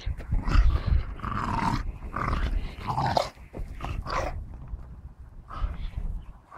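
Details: Staffordshire bull terriers playing with a tyre, giving low rumbling growls in uneven bursts, mixed with huffing breaths and scuffling.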